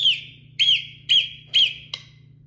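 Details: Hoary marmot giving four short, high whistled calls, each slightly arched in pitch, repeated about every half second, followed by a sharp click, over a steady low hum.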